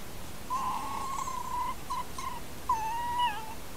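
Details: Camera-trap recording of two red foxes interacting near dens in Corte Franca countryside, Cavarzere area (VE), Italy: a long drawn whine, two short whines, then a wavering, slightly falling whine, all with clear harmonics over soft hiss.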